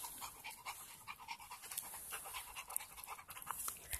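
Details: Night-time park play in 2018 with three dogs, a Presa Mallorquín named Mona, a Rhodesian Ridgeback named Rocky and a Labrador Retriever named Onix; quick, uneven huffing pants fill the short stretch over steady hiss.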